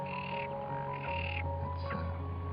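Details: About 100 mostly brownish-green frogs in a small pond at Cabranosa, Sagres, Portugal, on 30 July 2020 call at once, croaks merging into a continuous, throbbing low chorus with individual pulsed croaks rising out and a faint higher tone above.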